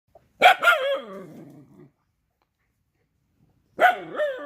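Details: Rajapalayam dog giving two loud barks about three seconds apart. Each bark is a sharp, harmonic-rich burst that trails off into a wavering, falling whine, with silence between them.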